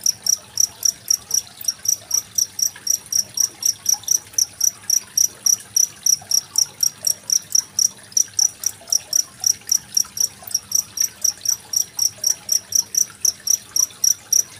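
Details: Rhythmic cricket chirping with murmuring water beneath, from 25 February 2023, meant for teaching songbirds such as magpie-robins; crisp high-pitched pulses follow one another about four times a second throughout.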